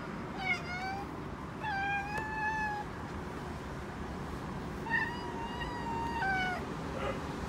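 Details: Domestic cat in Okinawa chattering toward birds, the household includes a big black two-year-old male and a five-month-old calico kitten; gentle, tonal drawn-out calls near one pitch, some bending up or down, in two clusters of several notes, low background hum.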